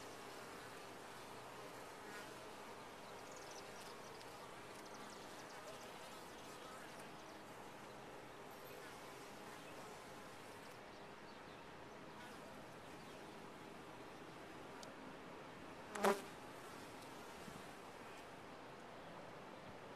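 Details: Top-bar hive of honey bees giving a continuous low, even hum for twenty seconds, broken once near the sixteenth second by a single sharp click.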